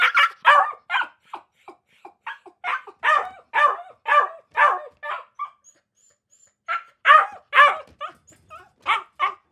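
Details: Dog barking in quick, sharp bursts, mixed with higher yips, about two per second. A short quiet pause comes partway through, then a few faint whines, before the excited barking resumes to the end.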